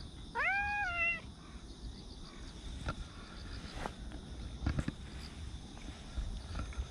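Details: Park cat outdoors on 28 September, giving a single clear meow, rising then levelling off for about a second, followed by quiet outdoor background with a few faint knocks.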